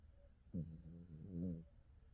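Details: Kim Gap-ryong, a pet dog, snoring while asleep: one low, rough, rumbling snore lasting about a second in a quiet room.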